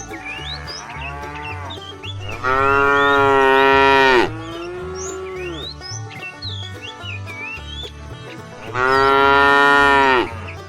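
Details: Tame cows in a herd setting off on a long journey to fresh pasture: two loud, drawn-out moos of about one and a half seconds each, separated by a quieter stretch of background chirping birds and a steady low thumping beat.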